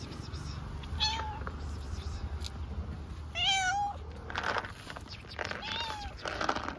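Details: Homeless street cats in Istanbul, hungry and begging for food and attention, give three drawn-out wavering meows spaced a couple of seconds apart over steady low street rumble.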